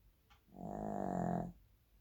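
A Shih Tzu snores with one long, low, rattling breath in a quiet indoor room.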